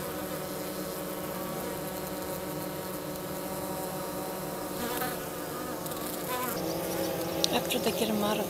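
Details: Honey bees of a hygienic Minnesota strain near St. Paul, mid-March, about 50 degrees, carrying dead bees out of the hive: a continuous many-bee hum, slightly louder and busier near the end with a few brief knocks.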